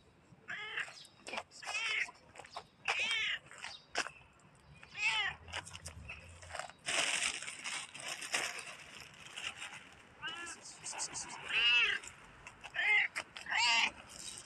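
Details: A black cat, apparently a stray, meows again and again amid rustling and scraping; the calls are short, ringing and arched, some clipped, coming about every one to two seconds with a noisy burst midway.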